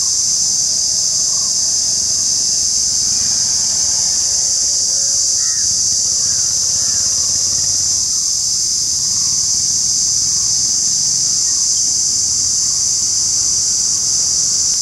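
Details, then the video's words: Indian cicada shrilling: a steady, unbroken high-pitched buzzing drone held throughout, with faint distant bird calls beneath. "The Indian Cicada : shrilling sound"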